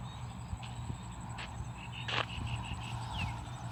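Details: Small frogs calling from a rice field at dusk on 8 July 2023, at the start of the rice-planting season. A loud broadband croak is followed by a quick run of short, evenly spaced clicky pulses, over a steady low rumble.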